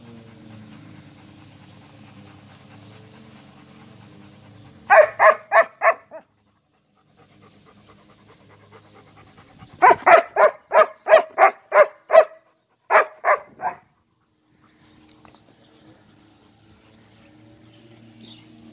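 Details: German Shepherd dogs in a relaxed home recording: sharp, harmonic barks in bursts, first four quick barks, a pause, then a run of about eight, and finally two more, with quiet background between.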